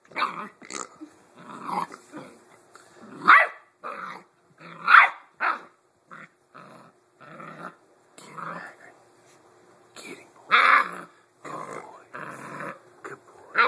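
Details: Hagrid, a 7-week-old Blue Great Dane puppy, plays with a new toy pig he had first avoided. He gives rough growls and short yappy barks in irregular bursts with brief pauses, while a man's voice urges him on.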